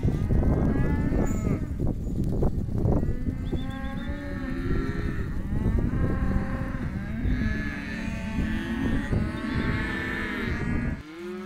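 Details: A group of Hereford calves, male and female, in an auction lot. Dense, overlapping moos rise and fall continuously over steady shuffling and handling noise, then drop off abruptly at the end.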